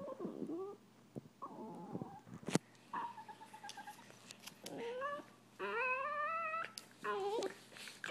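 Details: Annoyed Italian Greyhound brothers disagree with drawn-out, wavering whines and grumbles, some rising in pitch, over a faint steady background hum.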